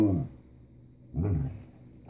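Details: Basset Hound Joey vocalising an "I love you" to his owner indoors: two low, drawn-out moaning howls with rich harmonics, the first fading out and the second starting after a pause, short and throaty.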